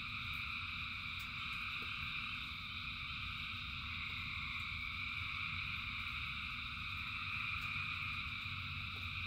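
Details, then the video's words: Thousands of frogs singing in the rain: a dense, unbroken chorus of steady trilling at several stacked pitches, with soft raindrop ticks over a low rumbling background. "Frogs in Rain 2 Hours of Frogs, Thousands of Frogs Singing"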